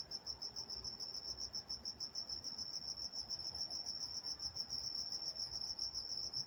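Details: Crickets at night in Walnut, California, sounding a sustained, high, rapidly pulsed trill of about three to four beats a second, with faint low ambient hum beneath.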